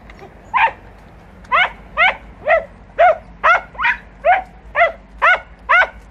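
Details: Hunting podencos working bramble cover in Campo Arañuelo give a steady run of about eleven loud, ringing barks, evenly spaced at roughly two per second, with little other sound.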